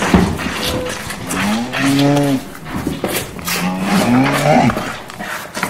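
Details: Cows lowing in a stable, long, deep, harmonic moos that rise and fall. Cow.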